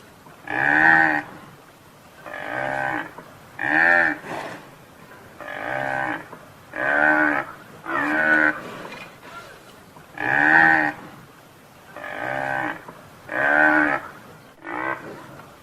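A buffalo gives deep, harmonic moaning calls, each lasting about a second, repeated every two seconds or so.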